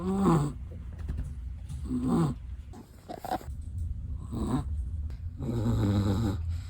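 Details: Sleeping long-haired black-and-tan Chihuahua snoring: four rasping, nasal snore bursts spaced roughly one and a half to two seconds apart, each a short buzzy rattle, with quiet breathing and faint hiss between them.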